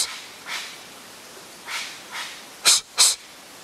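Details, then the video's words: Harsh intimidation snorts from a curious wild Japanese serow on a streamside mountain trail in Japan, September 2012, exchanged with a person. Several faint airy hisses, then two loud, sharp, explosive snorts in quick succession. "Communication with Japanese Serow ニホンカモシカと鼻息で鳴き交わしてみる"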